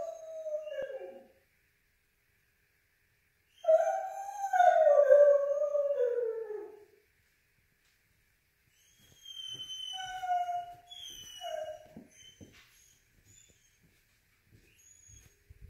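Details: Female foxhound howling, almost crying, after being left behind when her owner went for a run: a short cry, then a long wavering mid-pitched howl of about three seconds, followed after a pause by softer, broken howling notes.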